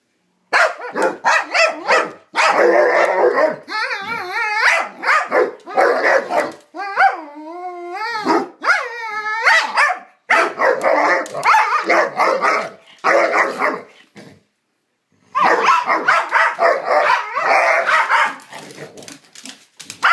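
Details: Two pet dogs playfully exchanging strange noises: dense, continuous barking and grumbling mixed with long wobbling howl-like whines in the middle, a short quiet gap, then more rapid rough barks to the end.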